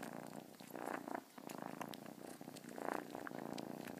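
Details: Close, vibrating cat purr with a pulsing texture, breath cycles swelling roughly every second and a brief dip after one second; faint clicks scattered throughout.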